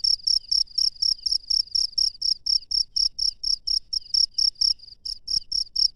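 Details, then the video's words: Night-time cricket in a wild setting, sharp high-pitched chirps pulsing in quick even succession, with one brief gap and a soft thump near the end. "SUARA JANGKRIK LANGSUNG DARI ALAM LIAR DI MALAM HARI"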